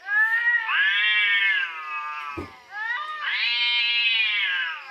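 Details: Nearly continuous howling from fighting orange cats, a sustained harmonic yowl that swells and dips, briefly broken by a dull thump before the wailing rises again, louder and higher.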